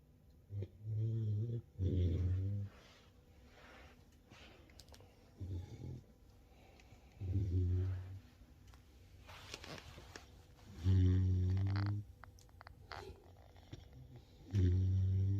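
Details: Two sleeping American Staffordshire Terrier puppies, one a rescue, indoors in a house, snoring in low droning breaths lasting about a second each, spaced several seconds apart, with a woman speaking softly in between.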